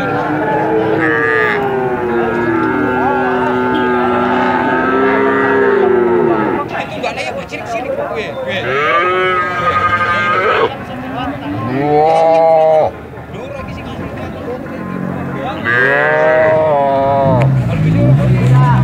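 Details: Cattle giving very long moos, several drawn-out, harmonic-rich lows overlapping one another across the whole stretch, some sliding downward, with a busy murmur of other sound beneath.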